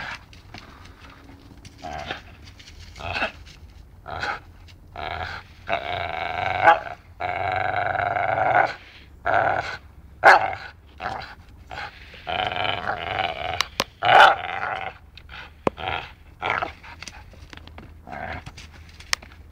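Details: Playful dachshund growling while biting, with longer rasping grumbles around the middle, choppy bursts elsewhere, and scattered sharp clicks and knocks.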